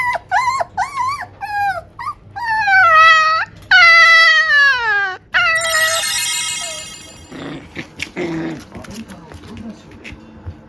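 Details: Male tiny toy poodle pup, born March 2021, communicating with its owner: wavering high whimpers followed by long falling howl-like whines, then softer broken yips and rustling near the end.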